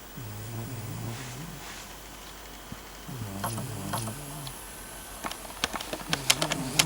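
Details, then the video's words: Eleven-year-old pet cat Barsik snoring like an old grandfather: low, rumbling, drawn-out snores about a second and a half long, separated by short pauses, with sharp clicking taps growing busier toward the end. "Snoring cat Barsik! Храпит кот Барсик!"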